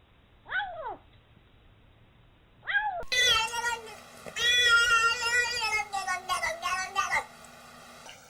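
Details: Domestic cat making odd noises: two short descending meows, then a long harmonic-rich wavering yowl with several rising and falling bursts, like a drawn-out complaint.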